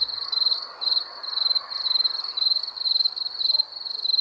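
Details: At night, crickets give sharp high-pitched chirp pulses in quick bursts, close and loud, over a light hiss.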